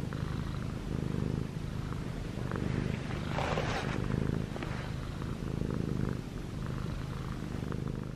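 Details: Six-month-old male Munchkin cat purring while kneading pajamas at home; low rumbling purr pulsing with breaths, brief burst of rustling fabric noise in the middle.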